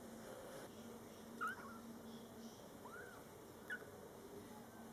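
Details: Scottish Fold kittens born July 22, 2012, in their first month of life, cared for by mother cat Coco indoors; faint, thin, high mews, two short ones about two seconds apart with an arched mew between, over steady room hiss.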